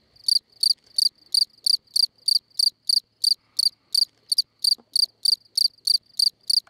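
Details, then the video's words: Field cricket singing at La Brenne, France, on 20 May: loud, pure chirps near 4–5k pitch with a fainter higher overtone, each a short pulsed burst, repeated steadily about three times per second over an otherwise quiet background. "Field Cricket at La Brenne (France)"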